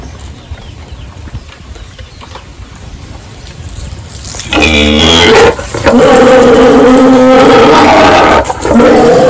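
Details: Pigs on a village farm during morning feeding and pen cleaning; after a quieter start, loud, prolonged squealing breaks out midway and carries on with brief pauses, over rustling farm noise.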